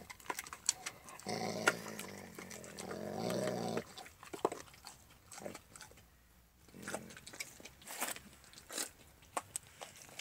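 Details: Alaskan Malamute named Max, a pet dog eating a raw bone, gives a low rumbling growl lasting about two and a half seconds, followed by scattered crunching and gnawing clicks as it chews.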